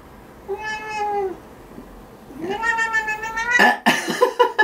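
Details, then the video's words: Domestic cat crying while having its claws trimmed: two drawn-out meows, the second longer and louder, rising then sagging, followed by scuffling, rustling and clattering. "고양이 발톱깎이기"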